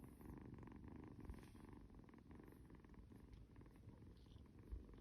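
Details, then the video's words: Kitten cuddled in someone's arms gives a deep, even purr, a soft rhythmic rumble sustained throughout with a couple of brief thumps of movement. "cuddles his snoring kitty kitten"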